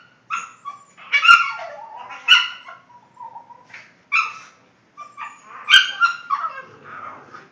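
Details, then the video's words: Boston Terrier making funny noises: several strained, squeaky whine-yips with bright harmonics, some sliding downward into a low moan, grouped in bursts with short pauses and two sharp clicks. "My Boston's making funny noises"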